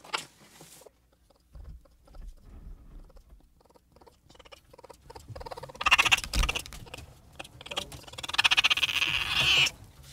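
A raccoon gives harsh, raspy chittering bursts with quieter snuffling and rustling between them.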